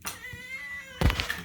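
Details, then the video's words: Loud pet cat meowing to demand food while its meal is being prepared at home; one long, steady, drawn-out meow, followed by a thump and kitchen clatter. "loud cats demand food"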